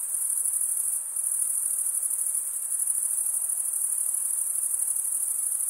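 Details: Male crickets stridulate, one wing drawn across the toothed vein of the other, in a shrill, rapidly pulsing chorus. A short dip near the first second interrupts the otherwise constant high ringing.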